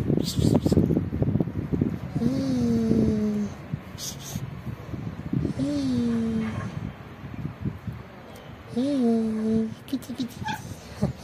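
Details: Pregnant black cat living on the street, disliking belly touches, lets out three long, wavering complaining meows spaced about three seconds apart. Handling noise and rustling sound in the background.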